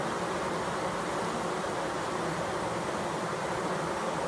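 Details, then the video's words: Close-up recording of bees fanning, giving a continuous, even buzz throughout. The thick hum holds a low steady drone with a wide airy hiss above it and never pauses. "Close up HD bees fanning"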